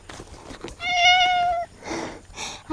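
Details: Sociable cat at an island campsite in Korea, meowing at an arriving camper. One steady, bright meow lasting almost a second, followed by soft human voices.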